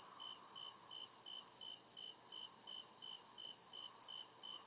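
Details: Deep-forest crickets chirping at night, evenly spaced high pulses about twice a second layered with a louder, slightly lower trill and a gentle background murmur.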